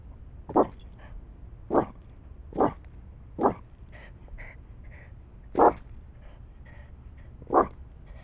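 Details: Moe, a pet dog in a backyard, barking at an opossum: six loud, abrupt single barks spaced about one to two seconds apart, with softer higher squeaky sounds between them.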